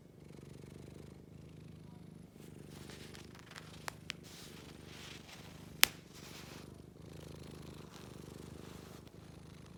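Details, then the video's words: Scottish Fold cat purring steadily and continuously, a low rumbling drone with brief pauses for breath, a few sharp clicks and a loud snap near the middle. "고양이 그르릉"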